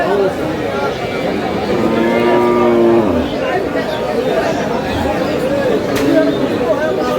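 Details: Cows with calves at the Aftabganj haat livestock market in Dinajpur, Bangladesh, on 25 August 2026: one drawn-out, steady moo lasting about a second that falls slightly at the end, surrounded by crowd chatter and men talking.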